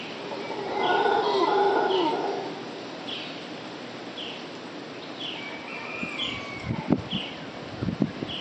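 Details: Howler monkeys, a pair, calling in the early morning near 5am at Nosara, Costa Rica, April 2011: a loud, harsh roaring bout for about a second, then fading, followed by repeated short bird chirps, insect drone and a few knocks.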